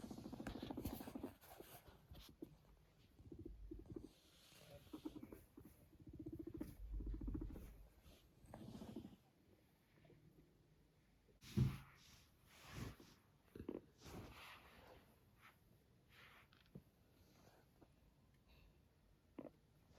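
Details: Pet guinea pig named Max, yawning and purring: low, buzzy rumbling pulses run through the first nine seconds, then fade into scattered soft clicks and rustles, with a sharp knock near the middle.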